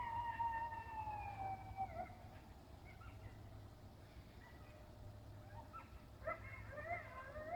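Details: Coyotes calling in a field, a long wavering howl sliding slowly downward, followed by a chorus of shorter high yips and rising wails over steady low background rumble.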